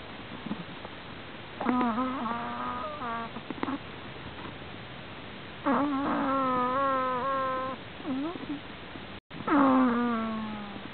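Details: Sleeping prairie dog making strange snoring sounds: bursts of squeaky, whining tones with rich harmonics, some wavering and some sliding down, in clusters of several seconds separated by quiet gaps.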